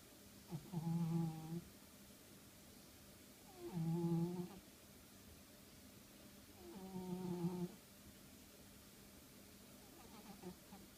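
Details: Sleeping house cat snoring indoors, low humming breaths with layered harmonics, three snores spaced about three seconds apart, each lasting roughly a second, over a faint steady background hum.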